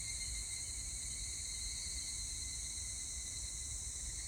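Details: Evening cicada (higurashi), 25 July 2019: a brief, steady, piercing high insect whine with several even ringing tones, no clear breaks, and low rumbling noise beneath.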